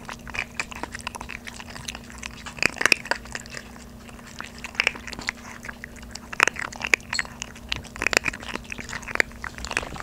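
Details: Close indoor recording of two young Maltese puppies, aged 3.5 months, munching dry kibble on their first day off softened food. Crisp crunching bites come thickly and unevenly, with louder cracks every second or two and a steady background hum.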